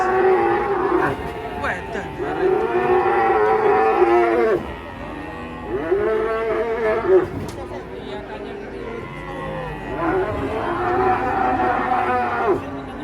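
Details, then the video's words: Cattle unloaded from a truck in Indonesia, described as enraged, giving long loud moos of about two to three seconds each, three drawn-out calls with rich harmonics, over background music, clapping and people's voices. "SAPI LUCU NGAMUK TURUN DARI TRUK"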